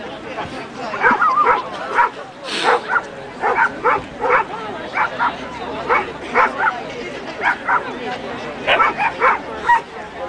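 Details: Kerry Blue Terrier, a two-and-a-half-year-old show champion, giving a run of short sharp barks and yips in quick bursts, some spaced about half a second apart, with human speech and background noise.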